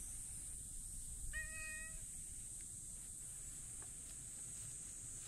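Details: A ginger tabby stray cat meows as it comes up to be petted before rolling over; one clear, harmonic meow lasting under a second, then quiet outdoor background with a steady high hiss.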